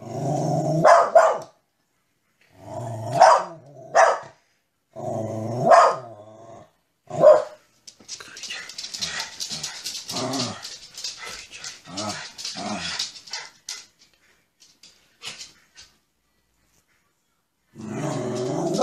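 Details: Dog barking in separate sharp barks early on, followed by a stretch of mixed scuffling noise and quieter broken sounds, then a final rough bark burst at the end.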